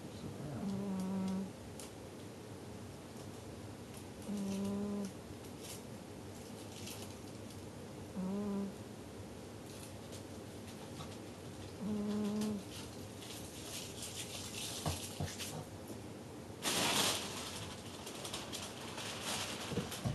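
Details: Jigga, a male pet cat, snoring while asleep indoors: a soft low hum repeating about every four seconds, each snore a short steady breath with faint harmonics, then a burst of loud broadband background noise near the end.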